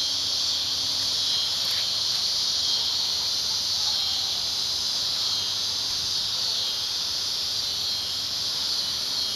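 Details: Cicadas at Lionsgate in early September 2009, so loud it was painful: a steady, dense high-pitched hiss-like buzz holds without a break throughout, with no other clear sounds.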